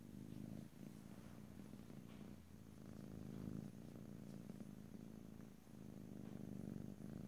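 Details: House cat purring, recorded close in stereo without talking: a steady deep rumble rising and falling with each breath, cycles roughly every one to two seconds, brief pauses between inhale and exhale.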